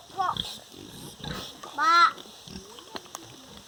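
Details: Pigs on a farm, a sow with her piglets: a loud, rising and falling squeal with a rich harmonic stack near the middle, a shorter squeak at the start, and faint grunts and hiss behind.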